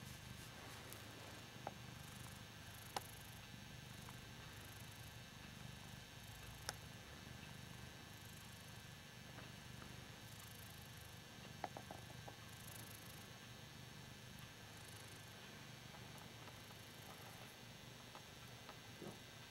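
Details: Purring from Hoss the Ragdoll cat as he enjoys being adored, a continuous, even low-pitched rumble with scattered faint ticks and small rustles.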